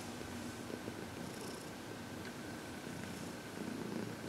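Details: Contented purring from Heidi, a 14-year-old adopted shelter cat, during a massage and reiki session; continuous low rumble, quiet indoor background.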